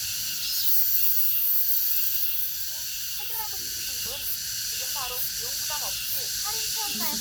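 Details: August cicada chorus, a continuous shrill hiss-like buzz with soft rhythmic pulsing, while a small bird adds quick, bent chirps repeatedly during the second half.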